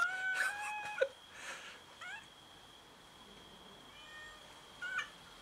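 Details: Domestic cats squabbling over food give short meows, some sharp and rising, with a loud scuffle-like thump after the first second. Quieter stretches follow, then a final brief meow, all over a steady high-pitched hum.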